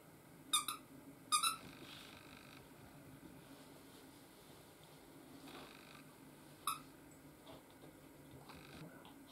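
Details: A 4.5-month-old Chihuahua puppy gives a few short, high squeaky yelps with quiet pauses between them.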